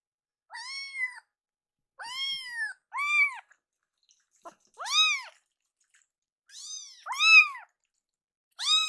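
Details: Rescued kittens, two of them, angry and hungry as milk cools before feeding; a series of short, high, arched meows, some in quick pairs, with quiet pauses in between.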